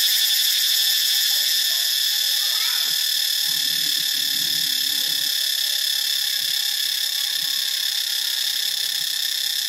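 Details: In Ubon Ratchathani, Thailand, cicadas keep up a constant, intense high-pitched buzz with a slight rapid throb. A soft low rumbling murmur rises briefly beneath it near the middle.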